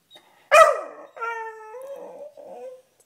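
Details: Indoors, Sniffer the Beagle, wanting up on the bed, lets out one loud sharp bark, then a steady mid-pitched howl that drops into a softer trailing whine.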